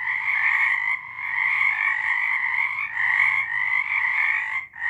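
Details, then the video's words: Frogs singing in March 2023: a dense, continuous chorus of pulsed trilling croaks in two bright bands, swelling and dipping briefly around one and three seconds, then fading near the end. "Frogs singing"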